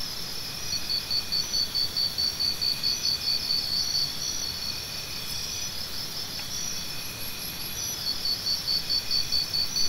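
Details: A cricket's rapid, high, pulsing chirps run for the first few seconds, fall quiet, then resume near the end, with a faint higher insect trill and a steady wash of background noise.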